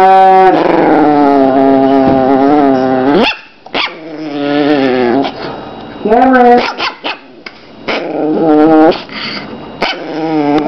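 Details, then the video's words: Chihuahua growling, a long sustained harmonic snarl for about three seconds, then shorter broken growls and sharp yapping bursts rising in pitch, repeated in quick succession. "Evil Chihuahua Growling"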